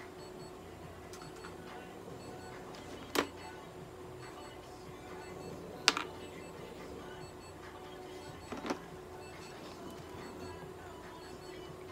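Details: A steady indoor hum broken by three sharp mechanical clicks and faint whirring, with no animal voice.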